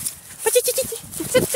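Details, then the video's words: Ari, a dog, barking: a quick burst of five short, high, tonal yaps, a pause, then two more yaps of the same pitch. "Uštěkaný Ari"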